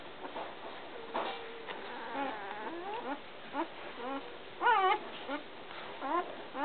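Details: Week-old American Water Spaniel puppies mewl and whine in a quiet litter chorus, thin wavering cries overlapping, with one louder rising squeal near the end.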